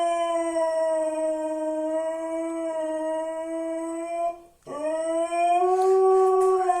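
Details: Siberian Husky howling as an alarm to rouse its owner: a long, steady, mid-pitched tonal howl sustained over four seconds, a short gap, then a second howl that dips and climbs back, rich in overtones.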